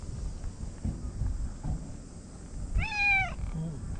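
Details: A stray white cat at an evening cat gathering in a park in Japan before dinner gives one clear drawn-out meow, rising then falling, with harmonics, over low wind rumble and faint distant noise.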